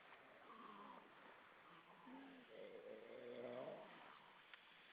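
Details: Many grey seals hauled out and swimming at Vilsandi, Estonia, on a September evening in 2012, giving overlapping moaning, wavering wails that rise and fall, one longer drawn-out howl near the end, with background sea and wind hiss.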